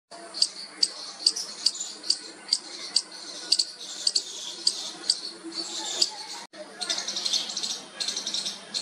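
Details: Baby squirrel making its first calls to its mother: short, thin, high squeaks repeated about every half second, steady and even, with a brief break near the end before fainter squeaking resumes.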